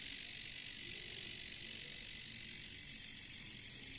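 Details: Jungle katydids, bush crickets known locally as caricangkas, fill the air with a dense, high, buzzy drone that pulses about four times a second and eases slightly in loudness halfway through.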